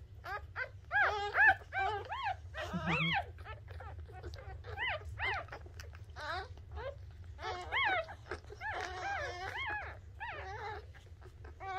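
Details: Newborn Shih Tzu pup during the birth: rapid, high whining squeals in irregular runs, a few louder bent cries and a brief low grunt, over a continuous low-frequency hum.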